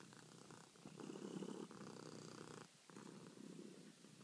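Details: Purring domestic cat at night seeking petting while kneading; rough low rumble in a few long breath-length pulses, louder in the middle, with a short pause before the final stretch.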